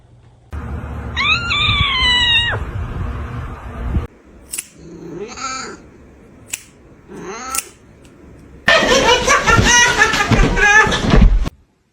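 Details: A domestic cat gives a drawn-out, wavering meow, then short squeaky cries after a pause, ending in a harsh, noisy burst of yowling and spitting sounds.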